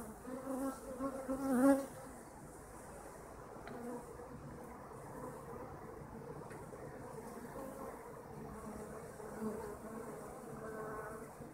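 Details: Kept honeybees humming. One bee zooms past loudly early on, its buzz swelling and slightly rising, then the colony settles into a softer, steady drone with faint harmonic tones.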